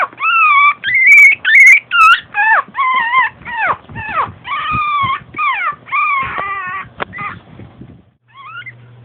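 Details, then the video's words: Long Coat Chihuahua, a female born in 2010, in a domestic setting, giving a steady stream of loud, tonal whines, each a brief wavering cry repeated more than twice a second, fading toward the end. "ロングコートチワワの鳴き声集 キュンキュン可愛い鳴き声から唸り声まで♪ Long coat chihuahua cry"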